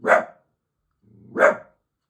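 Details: Grumpy male Dachshund barking at neighbours making noise; two sharp single barks about 1.3 seconds apart, the second preceded by a brief low growl.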